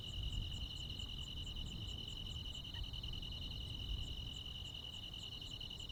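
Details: Crickets and other insects calling on a midsummer night in the Korean countryside: a steady high ringing trill overlaid with fast, evenly spaced higher pulses, with a low rumbling background hum throughout.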